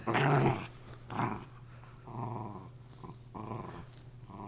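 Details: Lakeland Terrier bitch tugging at what is left of her stuffed animal: a loud opening snarl, then a series of shorter, quieter rumbling growls in uneven bursts, with faint rustling of the toy in a small room.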